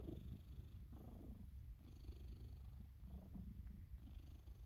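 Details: A Sphynx cat getting belly rubs while asleep gives a deep, continuous purr that rumbles low and pulses with each breath. Soft snore-like rasps mix in as the rhythm rises and falls about once a second.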